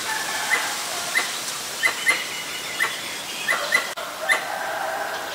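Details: Pallas's squirrel (Callosciurus erythraeus) in Ubon Ratchathani, Thailand, on 1 January 2023, calling when there is danger: sharp, short barking notes repeated irregularly about every half second, over a soft steady hiss.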